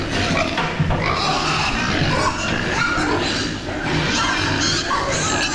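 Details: Meat pigs being raised for fast growth, giving dense, harsh grunts and snorts that run together over a steady noisy background, with faint music underneath.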